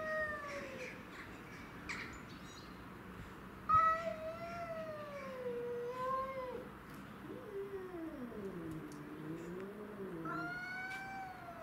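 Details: Domestic shorthair cats Tom, Mimi and a grey-and-white stray cat in a territorial fight; long wavering caterwauls sliding up and down in pitch, two voices overlapping in drawn-out moaning howls, one loud sharp burst midway.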